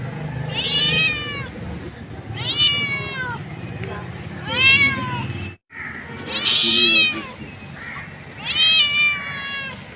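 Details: Mother street cat meowing for her kittens: five loud, stretched meows roughly two seconds apart, each rising then sliding down, with a brief silent break midway and low background rumble.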